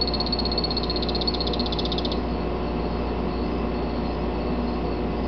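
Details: Captive male Phantasmal poison frog named Thor, Salvias morph of Epipedobates anthonyi from Ecuador, gives a rapid pulsed, buzzy high trill lasting about two seconds, then stops, over a constant low hum.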